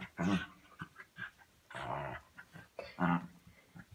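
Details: A pet dog making funny noises while playing during a fairly tame play session: three loud, short, harmonic grumbling bursts near the start, middle and end, with quieter snuffles and breathy sounds between them.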